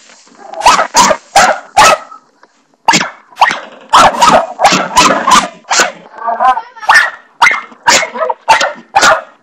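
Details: Barney, a household dog, barks nonstop at the bathroom doorstopper, around twenty loud, rasping barks with a brief pause after two seconds and a short whiny, tonal bark near the middle, all indoors.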